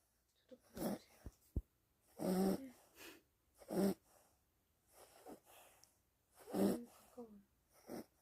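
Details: Gureum, a pet dog, snoring: a string of rough, rasping breaths at uneven intervals, some louder snorts carrying a faint nasal whistle, with a couple of sharp clicks between breaths.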